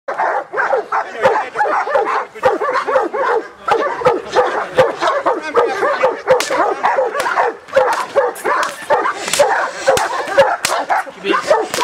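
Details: Giant Schnauzer giving a dense, continuous run of short harmonic barks and yelping whines, overlapping closely with hardly a pause across the whole stretch; faint voices in the background.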